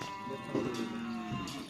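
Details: Cattle at a karapan sapi bull race training session in a field at Asemanis, Pamekasan, ahead of district-level selection; a single drawn-out low moo with a steady tone, crowd noise and faint music behind it.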